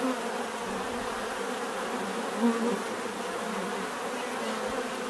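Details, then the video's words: Steady bee hum from a group of bees in nature, a low layered drone, briefly swelling midway as one insect flies close to the microphone. "bees therapy relaxing natural buzzing sound"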